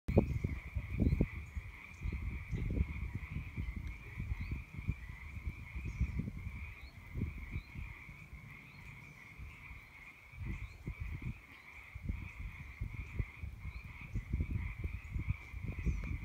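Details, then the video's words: A dense chorus of Pacific tree frogs after March rains on the Catamount Trail, Calero County Park: many overlapping two-part croaks merging into a steady ringing drone. "Pacific tree frog chorus, Calero County Park"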